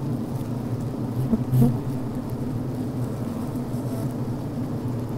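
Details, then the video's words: Honey bees inside a healthy hive, recorded on the brood frame where workers vent, chew and build beeswax comb: a steady, deep, droning hum with a brief louder buzz near the middle. "Sounds from Inside the Bee Hive, Healthy Honey Bee Sounds"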